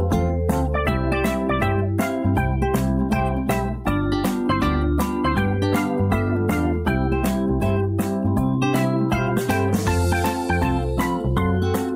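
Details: Steady acoustic guitar and bass music plays throughout, with no animal sounds.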